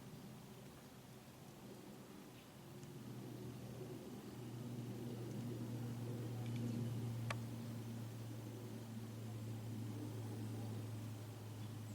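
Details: A steady low hum and broad background hiss, with one sharp click near the end; no animal voice stands out.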